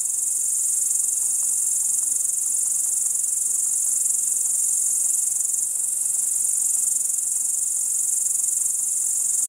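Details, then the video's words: Crickets trilling in the dark at Kiili, night of 30 July 2012, around 01:27: a dense, constant, very high sizzling drone that never breaks, steady in volume, ending abruptly; no birds or voices. "Ritsikate siristamine"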